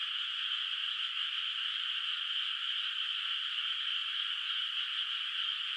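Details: A night frog chorus over a moonlit, unplanted rice field. Many callers blend into one continuous, even trill-like hum that neither rises nor falls across the stretch, and no other sounds intrude.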